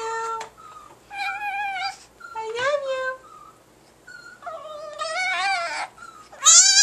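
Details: Pet Chihuahua indoors making its human-like "I love you" vocalisation: high, whining, harmonic yowls in several separate bursts, some sliding up and down, with a person's voice nearby.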